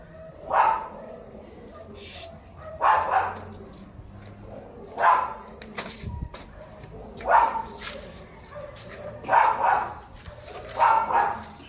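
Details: German Shepherd barking, filmed 6 October 2025: loud single barks, each energetic and broadband, at irregular intervals of about one to two seconds across the recording, with a faint steady hum underneath.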